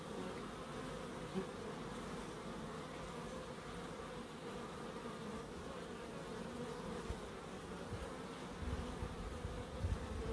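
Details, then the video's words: Bees in a Crookes wildlife garden, an unbroken low, even humming drone with little change throughout, a soft steady background of many insects. "1hr of Relaxing Bees"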